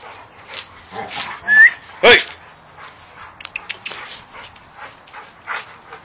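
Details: Two 7-month-old American Bulldog puppies, brother and sister, playing rough: scuffling, panting and short whiny yelps, with one sharp squeal near the middle, over constant rustling of movement.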